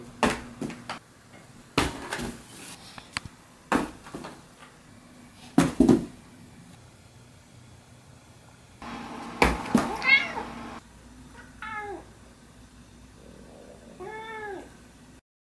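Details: Domestic cat playing at jumping into boxes indoors: a run of loud thumps and clattering bumps, then a few short arched meows, each rising then falling, spaced a couple of seconds apart in a quiet room.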